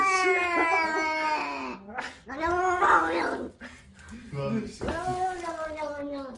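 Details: Domestic cat giving long, drawn-out yowling meows, several sustained wavering cries in a row with brief gaps, recorded indoors in a small room.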